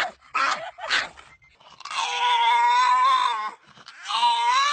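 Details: Dog producing a funny, drawn-out whining howl, a steady tone held for about a second and a half that wavers slightly, then resumes after a short break, with a couple of short scuffing noises beforehand.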